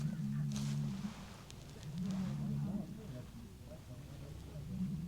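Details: Deep, drawn-out moaning bellows, each about a second and returning every few seconds, from several animals around a campsite in Estonia that the campers think are rutting deer calling to mate, around early September.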